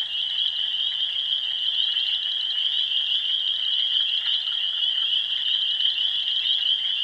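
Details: A dense night chorus of spring peepers in a pond and roadside ditch about 100 yards away, heard from a house deck: countless high, piercing peeps overlap into a continuous shrill ringing, with no other sounds standing out.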